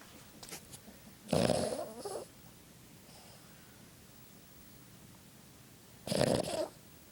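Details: A Boston Terrier in a deep sleep snores with two rough, rasping breaths spaced several seconds apart.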